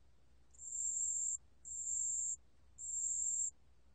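A pale bell cricket sings very high, thin, ringing trills in bursts of under a second.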